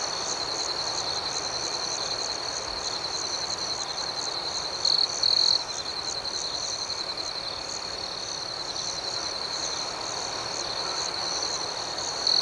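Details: Crickets at night keep up a continuous high, even trill, a brief louder burst near the middle and the end, with faint pulsed chirping above and a soft hiss.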